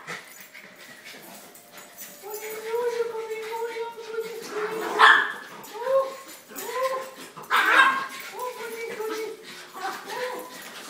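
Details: Two Schnauzers greet their owner arriving home with drawn-out tonal whines and yodel-like howls, mid-pitched and wavering, some bending up and down, over a man's excited talking that urges them to speak.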